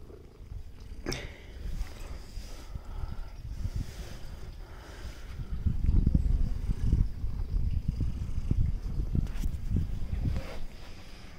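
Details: Stray cat purring, a low rumbling pulse repeated about three times a second, swelling louder midway, with a few brief rustling clicks.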